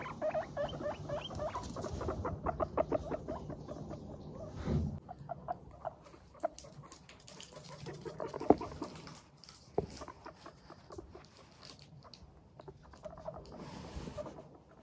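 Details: Pet guinea pigs of Teddy and Abyssinian breeds, in good spirits as they walk, make a fast run of 'pupupu' pulses for about four seconds, then scattered single notes and soft shuffling sounds.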